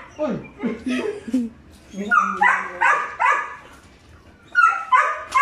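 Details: Five-month-old Belgian Malinois puppies Juvs (brown) and Jeff (black) play-vocalize: rising whiny yelps slide upward, then a run of high, harmonic-rich barks in quick bursts, with a final pair of sharp yaps.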